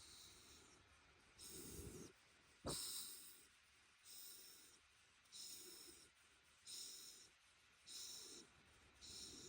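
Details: Ranmaru, a Shiba Inu lying on a futon, has its head rubbed ('chori-chori') and answers with breathy whistling 'fii' snorts. The airy bursts come irregularly about every one to two seconds, with one sharper click near the middle.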